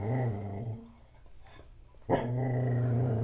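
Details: Black Goldendoodle dog growling and barking at its owner's mother and a painter: a steady, low, rumbling growl, broken by a short gruff bark midway before the growl resumes.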